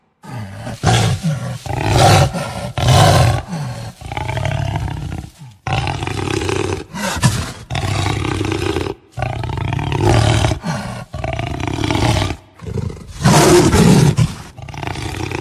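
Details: Jaguar roaring in a long run of deep, rough, grunting bursts, each lasting roughly a second, separated by brief pauses, with a few louder, harsher outbursts near the end.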